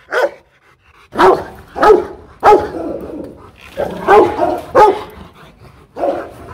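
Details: Powerful Rottweiler barks at a kennel in Hoang Mai, Hanoi, Vietnam: one short bark, a second of quiet, then heavy resonant barks with trailing echo, irregularly spaced over six seconds.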